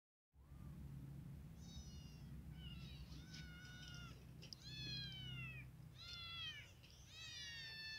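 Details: Four hungry baby kittens eagerly eating boiled chicken, giving high, harmonic-rich meows that rise and fall in short bursts, several overlapping calls between two and eight seconds, over a steady low hum.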